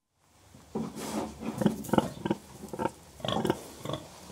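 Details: Several contented pigs grunting softly to express contentment: a dense, irregular run of short, low, rough grunts tumbling over one another, about three per second, with brief quieter gaps between bursts.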